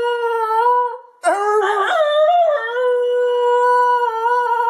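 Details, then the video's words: Basenji named Harley in a small room, holding a long steady howl, briefly broken by a wavering, strained middle section before settling back into a sustained tone. "Harley the Howling Basenji"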